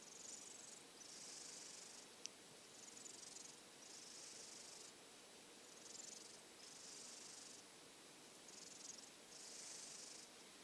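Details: Drowsy silver tabby cat kept apart while getting over a cold dozes in a hot-dog bed; about nine airy, wheezy snores come in a steady rhythm, with one sharp click near the start.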